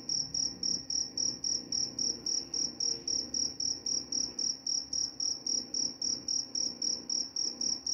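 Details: Shrill cricket chirps pulse steadily, roughly three per second, each a brief high ringing burst, against a quiet low-frequency murmur.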